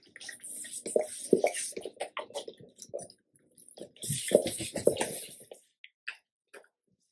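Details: Two male Labrador Retrievers, a black one born 2017 and a yellow one born 2018, crunch and gnaw noisily on large raw chicken carcass bones during a raw-food meal, with wet cracking bites in irregular bursts.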